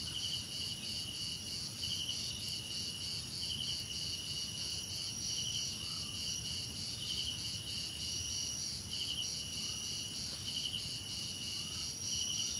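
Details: Sustained cricket chorus, a shrill continuous whine topped by trilled chirp groups recurring every second or so, with a faint lower call midway and quiet background rumble.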